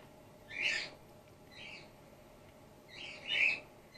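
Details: Three high, thin squeaks, spaced about a second apart, the first and last loudest, from Gwickle, an orphaned-in-care female grey-headed flying-fox pup being bottle-fed while her concussed mother recovers.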